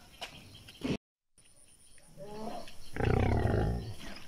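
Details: Royal Bengal Tiger at a safari park in Gazipur, Bangladesh: a deep, rumbling roar swells and holds near the end after quieter low growls, with people talking nearby.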